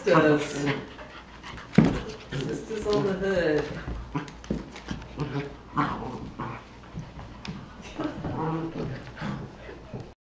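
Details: Two three-month-old Cocker Spaniel–Basset Hound mix sisters, Ripley and Vasquez, each just over 12 pounds, play-fighting indoors; repeated high harmonic yelps and whiny growls come in short bursts throughout, mixed with human voices.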